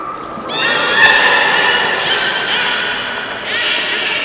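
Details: Captive beluga during a public training session at Port of Nagoya Public Aquarium, Japan, 18 July 2016, 13:30 show; a sustained harmonic whistle rises in after half a second, wavers and holds steady, with a brighter overtone swell near the end over hall ambience.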